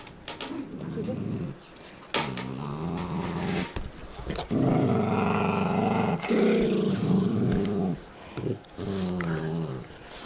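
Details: Two pet dogs growl at each other while eating bones indoors; long low rumbling growls with harmonic bands, several sustained stretches of a second or more broken by short pauses, plus gnawing and clicking of teeth on bone.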